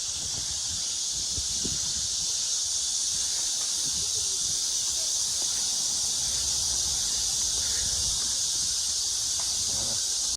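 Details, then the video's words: Summer cicada chorus at Mujinjeong near a pond, around 1 pm on 2 August 2021 in fine weather; an unbroken shrill hiss-like buzz holds at one high pitch throughout, over faint low rumbling and occasional soft knocks. "시원한 매미소리"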